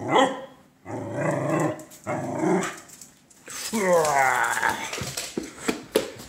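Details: Pet dog during morning playtime, excited by its owner's slow, odd movements; short barks and growly vocalizing are mixed with human speech, ending in a rising-then-falling whiny growl with tonal harmonics.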